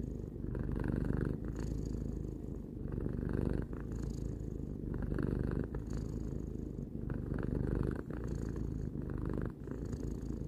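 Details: Three-year-old pet cat purring indoors: a steady deep rumble pulsing with its breathing, inhale and exhale alternating about every one to two seconds, nothing else audible.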